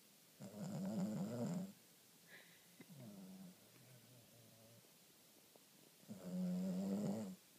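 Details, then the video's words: Sleeping female Boston Terrier producing loud, buzzy snores: two strong rasping snores about five seconds apart, with a softer, fainter snore between them. "Boston Terrier, snoring like a freight train"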